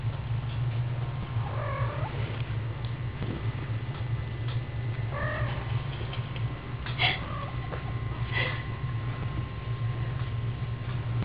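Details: Kitten meowing indoors, short high mewing calls at about two seconds and five seconds, then sharper cries near seven and eight seconds, over a steady low hum.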